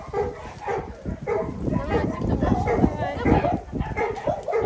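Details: A two-month-old puppy, very small, whimpering in a rapid series of short high whines, roughly two per second, with people talking over it.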